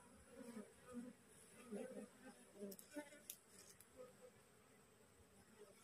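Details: Wild honey bee colony that has just split, its swarm pausing on a cassava plant while gathering around the caged queen; low, pulsing buzz rising and falling in soft bursts, with faint background music.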